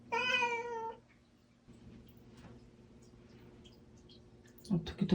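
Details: Pet cat Bongji indoors, fretting after seeing a family member leave, gives a loud wavering meow lasting about a second. Silence and faint room hum follow, then a brief rustling at the end.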